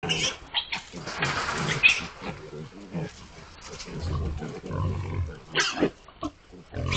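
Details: Group of 19 hogs making noise together, with overlapping grunts and squeals, broadband squealing bursts near the start and around five and a half seconds, low grunting throughout.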